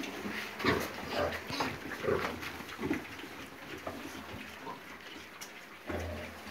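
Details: Piglets offered for sale grunting in short, rough bursts roughly every half second, low snorts mixed with brief squeaky notes, over a steady hiss of background noise.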